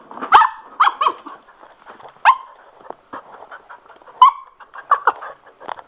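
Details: Sugar, a male Cocker Spaniel thrilled by a spin mop, gives loud, ringing barks in irregular bursts about every second or two, with softer mop and household sounds between.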